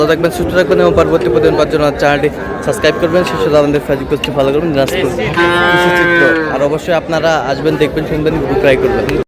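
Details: Sahiwal bull calves at a market, a Noakhali farmer buying, 24 February '26; one rich, harmonic bellowing moo lasting about a second, surrounded by dense human chatter and crowd noise.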